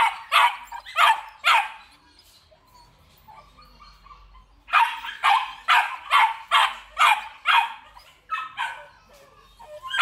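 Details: Belgian Malinois, large males with black and red-black coats from a breeding kennel in Vietnam: three harsh barks, a few seconds of low background hum, then a fast series of about eight loud barks.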